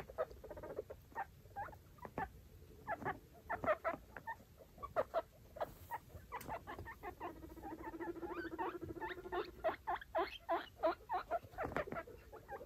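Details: Baby foster guinea pigs, five with their mother, roaming a clean cage; scattered short squeaky chutts and clicks, a low steady purring rumble in the middle, then livelier squeak bursts over rustling bedding.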